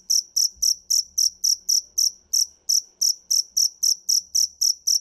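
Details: Dế mèn cricket giving loud, shrill chirps at a quick, slightly uneven pace near four per second, over a faint low rumble and soft background murmur.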